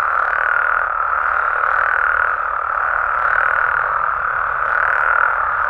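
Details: Mexican amphibians at night in their natural setting: frogs and toads in a constant, even chorus of mid-pitched croaking, a faint high tone flickering in and out above it.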